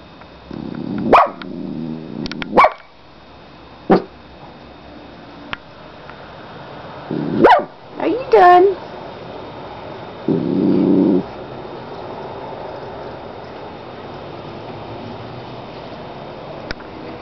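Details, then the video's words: Domestic dog giving scattered sharp barks and a few yips over seventeen seconds, with a woman talking to the dog between them, a longer muffled vocal stretch midway, and a steady background hum. "Barka Barka Barka"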